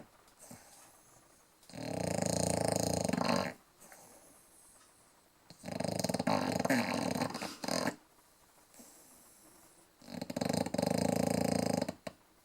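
An English Bulldog snores loudly, each rasping, rumbling breath lasting about two seconds.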